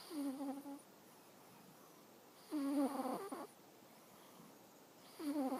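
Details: Awaru, a pet cat, snoring while asleep: short breathy, buzzy snores with stacked tones, about two and a half seconds apart, quiet pauses between, in a still room.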